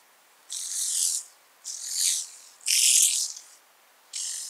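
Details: A speckled buzzing grasshopper (Bryodemella tuberculata) sings in Vorderriss, Germany, on 11 Aug 2022, giving dry, hissing rattles, each under a second long, with short silent gaps.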